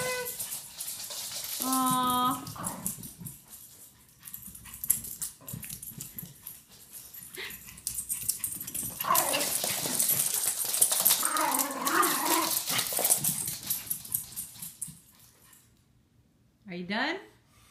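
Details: During a morning run, a Chihuahua lets out a brief stepped whine early on and a short rising yelp at the end, between stretches of rustling, movement noise and human speech.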